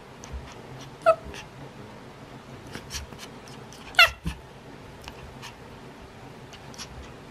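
A small Maltese x Shih Tzu gives two brief, high, nasal whines, asking for its ball to be thrown.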